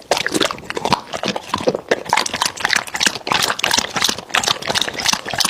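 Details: American Bully dog eating raw meat, with wet, crunchy chewing clicks and smacks coming in rapid, uneven bursts throughout.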